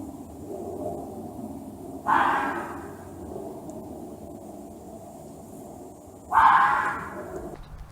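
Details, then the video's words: Angry fox screaming: two harsh, raspy bursts about four seconds apart, each under a second long and fading quickly, over a low steady background hum. "Som de Raposa, Ouça o Barulho de Raposa Uivando, Brava, Gritando (Fox Sound)"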